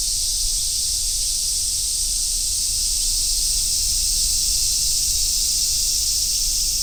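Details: Cicada chorus from a summer forest road, with large brown and robust cicadas among the singers: an even, shrill, continuous hiss high in pitch, never pausing, over a light low-frequency background rumble.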